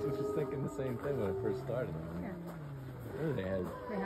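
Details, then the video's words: Wolves at the Lakota Wolf Preserve on March 5, 2023, howling together, set off by a fire siren: several overlapping long gliding howls rise and fall at once, with people talking quietly over the chorus. "Howling at the Lakota Wolf Preserve"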